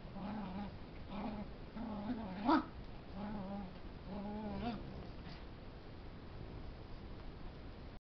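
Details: Puppy at play, wrestling a larger dog and making funny noises: clustered short, low harmonic growls with one sharp yelp near the start, then the sounds stop for the final three seconds, leaving only faint room hiss.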